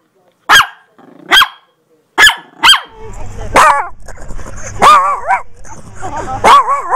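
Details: Chihuahua dog barking: four short sharp high yaps in the first three seconds, then longer wavering whiny yelps and howl-like calls with a low rumbling background.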